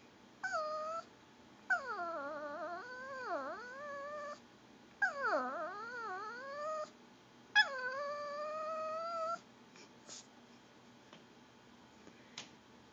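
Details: Pomeranian, a female pet dog begging for goldfish crackers, makes long gurgling whines in four drawn-out bouts, each wavering and dipping in pitch then rising again, with brief quiet gaps between.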